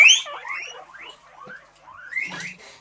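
A guinea pig wheeks, giving a run of high, rising whistled squeals to get attention before feeding.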